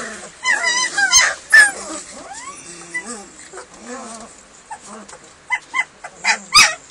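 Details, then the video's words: Several hungry German Shepherd puppies awaiting food, high wavering whimpers and squeaks overlapping, short yips spaced out later, with a couple of sharp knocks. "MY puppies are HUNGRY German Shepherd."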